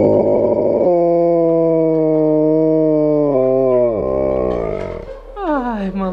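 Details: An Alaskan Malamute howls along to a familiar song, a long, steady, mournful note that slides downward and then wavers back up.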